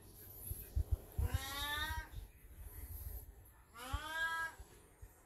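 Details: Black cat Beni-chan, elderly but in heat, gives two long, rising-and-falling yowling meows about three seconds apart, over low rumbling room noise and tapping sounds, with a Golden Retriever watching nearby.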